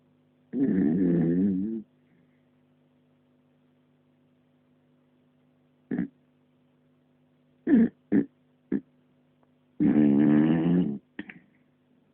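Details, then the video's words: Puppy asleep, snoring in a small room: two long rough, rattling snores about nine seconds apart, with a few brief snuffles and clicks between them and a constant faint hum beneath. "Snoring puppy"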